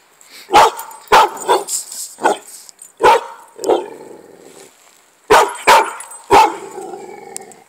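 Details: Pit bull pup barking while playing: sharp, harsh barks in uneven bursts, a quick run of four, then spaced single barks, a lull near five seconds, and three more rapid barks; a faint steady high whine runs underneath.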